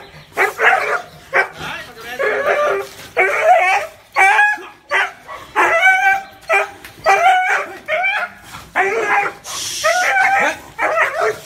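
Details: Dog barking in a steady series of about thirteen sharp, harmonic barks, each roughly a second apart, with short gaps of quiet between them and a brief hiss near the end.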